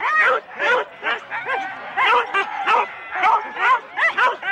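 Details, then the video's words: Rendlesham, January 2016: Huskies in four-dog sled teams at the race start, on analogue tape. Short rapid barks arrive about twice per second, each with a dropping, arched tone, and several dogs overlap. "4 dog Husky teams - the complete start"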